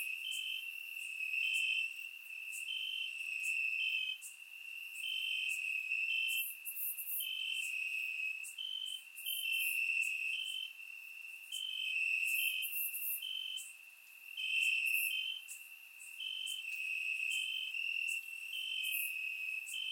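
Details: Crickets chirping in the grass on a warm summer night in Bulgaria: an unbroken high trill with evenly spaced higher chirps, several per second, and intermittent bursts of faint very high clicking; surround microphone recording.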